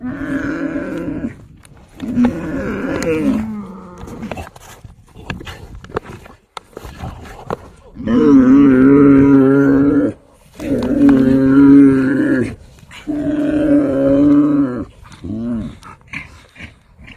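A yak gives drawn-out, droning calls, each held for about two seconds.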